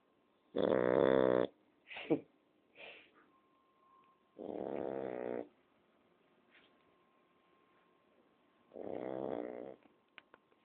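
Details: A Shar Pei girl asleep gives loud, raspy snores at intervals of about four seconds, with softer snorts and sniffs between them and a faint steady hum in the background.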